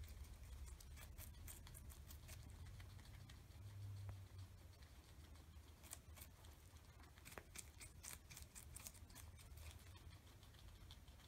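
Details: A pair of guinea pigs, Oreo and Buttercup, eating an oversized cucumber and hiding under fleece blankets between bites; sparse crunching clicks in irregular groups, with a brief low thump near four seconds.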